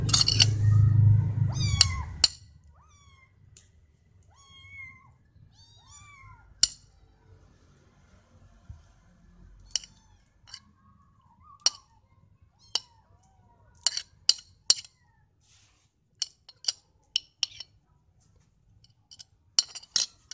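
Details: Cats meowing for something they want, such as food or attention; several short, rising-then-falling meows scattered between loud clicks and knocks, after a heavy rumbling burst in the first two seconds, indoors.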